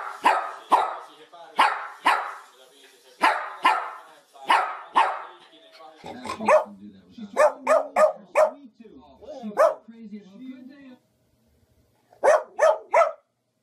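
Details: Dog giving bursts of loud, harsh barks in quick pairs and runs, broken by a stretch of low, wavering whining or moaning, then a final short volley of barks.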